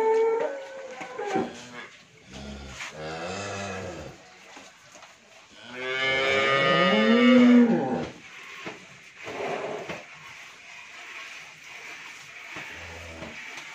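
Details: Friesian cow with a heifer calf, after her second calving and giving 25 litres of milk, at a dairy farm in Bhangura, Pabna, Bangladesh; shorter lowing calls, then one loud, long, harmonic-rich moo that rises and falls, with quiet indoor background noise.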